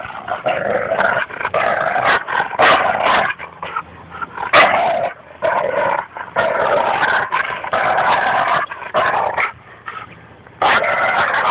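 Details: Goose, a Labrador Retriever, trash talks during tug-of-war with Espy, a Bouvier des Flandres, at Fernandina Beach Dog Park. Nearly continuous throaty growls carry choppy pulses, with brief pauses between the long rasping runs.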